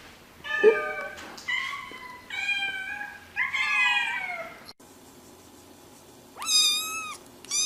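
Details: Domestic cats giving a series of drawn-out, wavering meows, several in quick succession, then a pause and one loud, rising-then-falling meow near the end.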